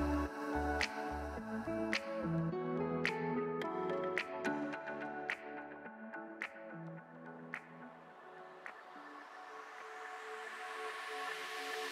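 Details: Ambient electronic music with plucked, dripping tones and soft low pulses, fading into a hiss toward the end; no animal sound is heard.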